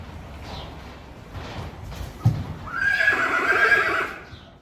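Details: A herd of Friesian mares and young fillies heading out to pasture, November 2019; soft hoof sounds, then a sharp, high, shaky whinny around the third second, wavering and sliding lower before fading after roughly one and a half seconds.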